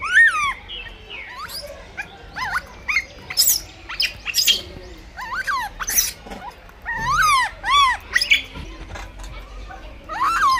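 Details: Blind baby monkey fighting for food; loud high squealing calls with sweeping rising and falling pitch, in bursts through the clip, some overlapping, with a low rumble underneath.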